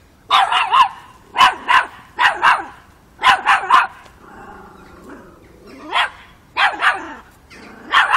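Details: Chocolina, a five-month-old Miniature Pinscher puppy, facing off with a mature cat in Kiev, Ukraine, October 2013; bursts of two or three high, sharp yappy barks, with a softer whining pause midway.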